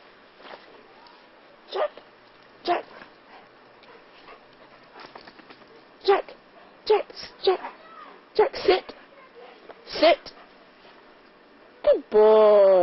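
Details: Welsh Springer Spaniel puppy named Jack playing with Sadie, a Flat-coated Retriever: short yelping barks and whines scattered irregularly over several seconds, with human speech between them and a louder burst at the end.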